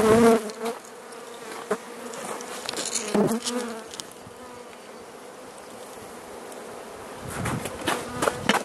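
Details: Carniolan honey bee colony in Southern Finland on 16 March 2017 at +3 C, hive opened for feeding with the Mountain Camp method; steady low hum of bees with scattered knocks and handling clatter.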